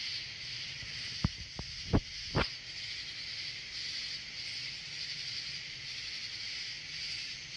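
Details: Katydid, a US bush cricket, gives a high, sizzling buzz that pulses continuously, while a few sharp knocks or taps sound in the middle over a low background rumble.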